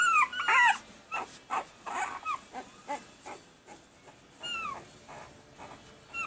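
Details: Pembroke Welsh Corgi puppies, red and sable boys just over a week old, April 2020: sharp high squeals at the start, followed by softer, irregular squeaky whimpers and a couple of thin, falling cries.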